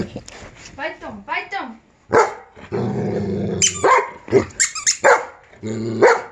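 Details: Giant Schnauzer reacting to a squeaky sound, mixing high wavering whines, a rumbling growl and sharp bark-like yelps in quick bursts, with human voices and squeaking between.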